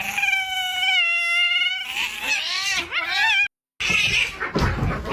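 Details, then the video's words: Domestic cats in a fight: a long sustained wail with a strong steady harmonic stack, then wavering, bending yowls and harsh hissy bursts, broken by a brief silence before more noisy, scratchy yowling. "Ready? Fight!"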